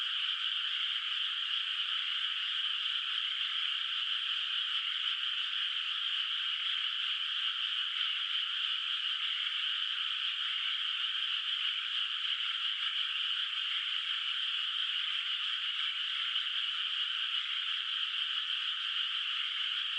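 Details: Countryside rice paddy at night under moonlight, water not yet planted, with distant frogs calling; twenty seconds of constant, dense, high-pitched trilling chorus, unvarying in loudness, no other noises.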